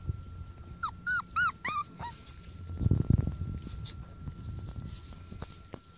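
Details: Four-week-old Border Collie puppies playing outside for the first time: a quick run of short high rising-falling squeaks and whimpers, followed by rustling, thumps and outdoor background noise.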